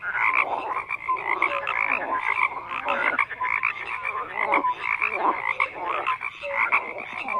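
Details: A thick frog chorus of rough, rattling croaks piles up from many callers, with short clear piping notes scattered among the constant buzzing din.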